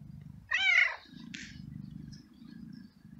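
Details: Feral male street cat in heat, living alone in a garden, meows strongly seeking a female and asking for food: one clear, arched harmonic meow lasting about half a second, then a brief rasp over steady low hum.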